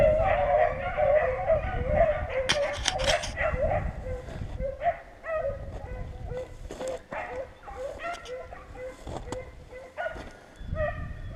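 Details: Several beagles on a rabbit hunt in Virginia, running a rabbit for about six hours, bay together in a loud, overlapping chorus of drawn-out, ringing cries.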